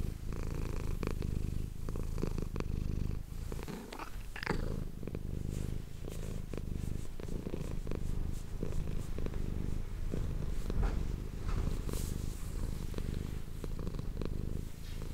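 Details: Domestic cat purring steadily, recorded close up on an ASMR microphone: a continuous low rumbling throb with no pauses, plus scattered soft clicks and rustles from handling.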